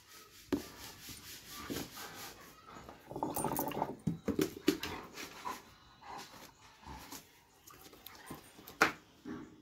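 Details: Dobermann indoors giving short tonal whimpers: a brief whine near the start, then a louder run of rough, noisy vocal bursts around the middle, with scattered soft whines and faint human voices in a small room.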